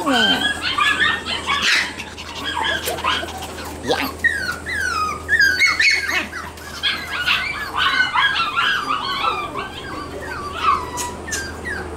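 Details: Shiba Inu puppies playing outdoors before going back to their mother, one crying to go home while others play happily; rapid, overlapping high yips and short falling whines run throughout over a steady low hum.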